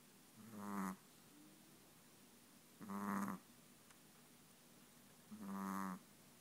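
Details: Chihuahua snoring while asleep: three long rasping, buzzy breaths, each under a second, spaced about two and a half seconds apart in a quiet room.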